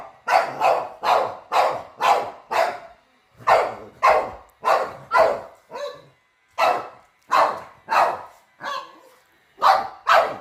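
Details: Steady volley of sharp barks, close to two each second, from a dog meeting a robot vacuum for the first time; one softer bark near six seconds before the barking resumes.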